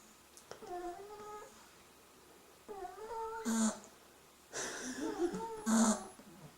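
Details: Three-week-old Beagle puppies asleep indoors: a few soft breathy snores, each with a short crackly burst, mixed with thin high whimpering squeaks that rise and fall.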